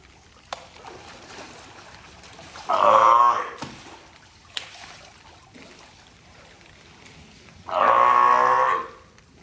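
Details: Taeko, a California sea lion at Tobe Zoo in Ehime, Japan, 20 April 2022, gives two strong, rasping honks about five seconds apart, with faint clicks and background hum between them.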